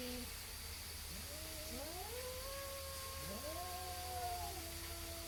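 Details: A pair of neighborhood cats facing off, one answering the other with rising, sliding wails that hold a long wavering note, voices crossing, under a steady electrical whine and low hum.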